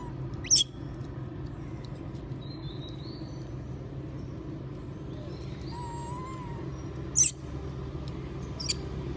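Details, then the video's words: Moby, a monkey, begs for food while others eat peanuts: sharp high squeaks at the start and near the end, with a soft wavering coo in between, over a steady low background rumble. "S@d Sound Monkey Moby Ask Food While Others Eating Peanuts"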